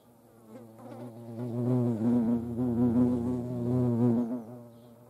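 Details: Hornet at close range during hand feeding in the Eifel, its deep humming buzz rising and falling gently in loudness for about four seconds with a rich stack of overtones.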